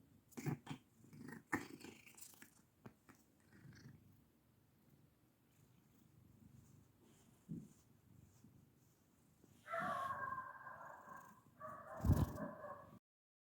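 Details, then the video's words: Black pet cat producing odd low grunts and clicks, scattered soft rumbles, then two louder, strained, harmonic meow-like cries near the end. "Cute Black Cat Makes Weird Noises"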